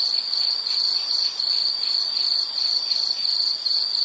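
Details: Shrill, ringing insect song in rapid pulses with small dips in loudness, a constant high drone throughout, recorded as a relaxing nature sound.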